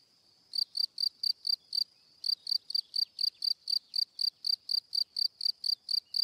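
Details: A cricket starts after half a second of quiet, pauses briefly, then resumes a long regular series of sharp high chirps, each pulse short and bright.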